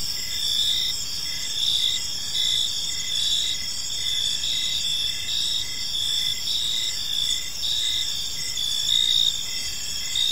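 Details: Gentle evening cricket chorus in a park, shrill continuous chirping with overlapping pulsed trills from several callers, faint low ambient hiss.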